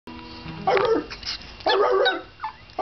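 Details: Two pet dogs singing together indoors: a brief low tonal opening, then two strong harmonic howl-like bursts about a second apart, each lasting under half a second, and a short softer cry near the end.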